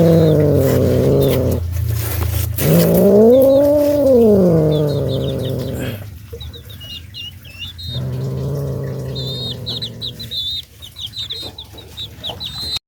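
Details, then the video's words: Frightened cats giving a loud, low, moaning wail that rises and falls in a smooth arch, followed by a long, steady, droning yowl. Faint high, thin chirping sounds run through the background. "cats are scared so they just make a loud noise"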